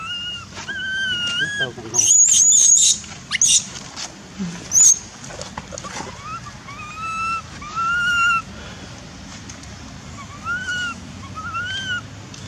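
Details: Baby monkey named Dustin in Cambodia, having lost his mother, screams for her while his brother David looks after him; very shrill piercing screams burst out around the second second, between clear rising-and-falling whistled coos repeated through the recording, with some rustling.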